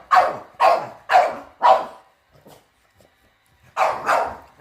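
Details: Dog barking at a robot vacuum on first encounter, four loud barks about half a second apart, a brief quiet gap, then two more barks close together.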